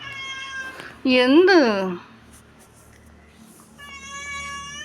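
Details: Young male cat waiting for its mother while its sister sleeps, giving one loud meow that rises then falls, followed by a fainter, level, drawn-out cry, with a person speaking Malayalam.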